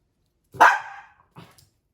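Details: Puppy confused by an invisible wall gives one sharp, loud bark, followed by a faint short second yelp about a second later in a quiet room.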